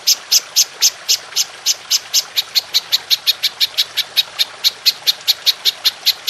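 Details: Golden grasshopper calling for songbird training audio, steady clear series of crisp high ticks, about four to five per second, evenly spaced throughout with no pause and no other sounds.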